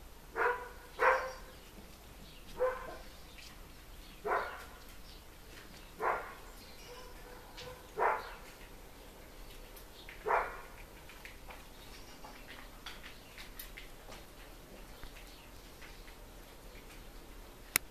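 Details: Eleven-week-old collie puppies of litter D from Collies vom Flörsbachtal bark indoors; single and paired yappy barks recur every one to two seconds over quiet room noise, fading out near the end.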